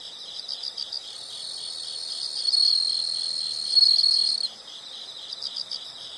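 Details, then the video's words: Insects calling in a high, steady chorus, with a louder continuous trill swelling for about two seconds midway, then fading back to soft rapid pulsing. "the sound of insects"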